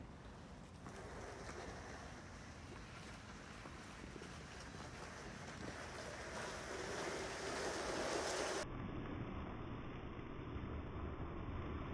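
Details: Steady broadband rushing noise like wind or water, growing louder toward the end, with no animal calls.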